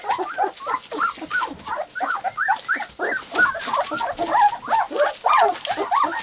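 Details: Three-week-old white English cream golden retriever puppies, walking, playing and trying out their first barks, yip and bark together in a busy, overlapping chorus of high, squeaky notes.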